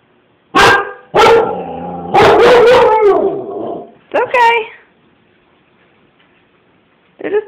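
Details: Siberian Husky Baloo barks at a man chasing his kid down the street: two sharp single barks, then a drawn-out wavering howl-bark and a shorter yodelled cry, followed by quiet and a final yelp.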